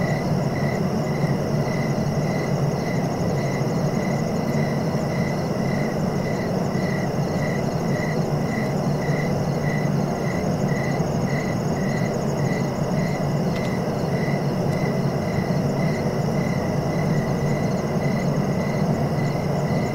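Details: Steady cricket chirps, short pulses repeating rapidly and regularly, over continuous low-pitched background rumble.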